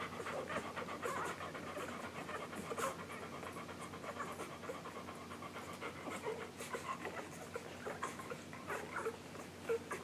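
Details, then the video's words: Week-old English Golden Retriever puppies from the July 9, 2012 litter of Maddie and Jazz, nursing, filmed July 15, 2012; soft rapid suckling clicks and snuffling breaths run continuously, with faint squeaks scattered throughout and a low steady hum beneath. "English Golden Retriever Puppies Nursing"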